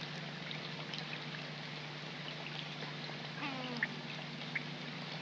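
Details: Young coypus calling at night in the rain beside a pond in March; a brief whining call with stacked harmonics lasting about half a second, barely above steady rain patter and a low hum.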